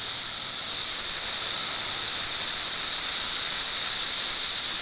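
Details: Periodical cicadas filmed in 2008: a steady, unbroken high-pitched buzzing drone, with a strong hiss-like band and a fainter lower whine beneath it, holding at an even loudness throughout.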